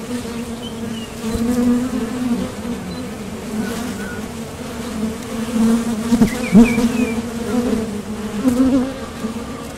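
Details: Honeybees at the entrance of a top bar hive, flying out to forage for nectar and landing back. A steady low droning hum with swelling passes as bees fly close. Faint chirps of small birds sound in the background.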